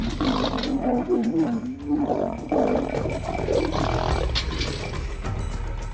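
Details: Three lion brothers in Kruger National Park, October 2009, snarl and growl harshly in deep, rasping bursts while fighting over a kudu carcass after being drawn in by buffalo distress calls.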